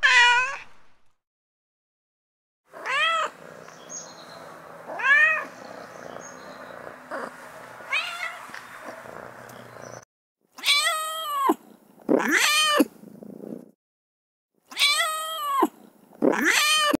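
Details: Domestic cat in heat giving mating calls: a high arched meow, then several drawn-out wavering meows over a low background hum, ending with four loud, harmonic-rich yowls separated by short silences.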